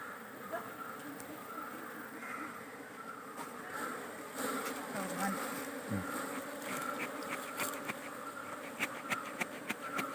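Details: Honey bees at a beekeeping site, a steady broad buzzing hum with scattered sharp clicks and taps, growing slightly louder toward the end, with a person talking nearby.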